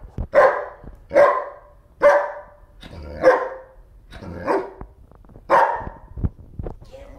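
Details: Bear, a German Shepherd, barks while playing with a floppy fish toy as his owner urges him to get it; about seven loud, sharp barks spaced roughly a second apart, with voice heard between them.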